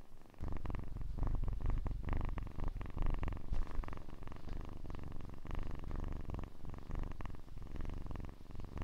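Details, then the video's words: Loud, close kitten purr: a dense, low, vibrating rumble with fast pulses, rising and falling as the animal breathes in and out, continuous throughout and otherwise quiet. "АСМР 60 Минут Мурчания / ASMR Kitten Mouth Sounds / Purring"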